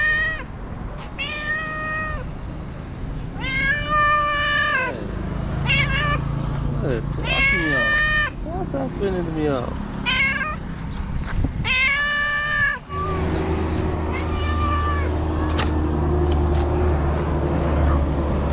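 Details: Stray cats in Morocco waiting for people to put out trash meow repeatedly, a run of loud harmonic meows and shorter chirping mews, with a person speaking and a low vehicle rumble in the latter part.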